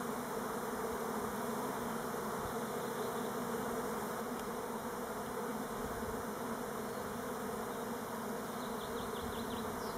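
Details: Many Elgon Buckfast honey bees on orientation flights at Timrarö close to Stockholm, hoped not to be swarming, produce a thick continuous drone that holds level throughout, with a few faint high chirps near the end.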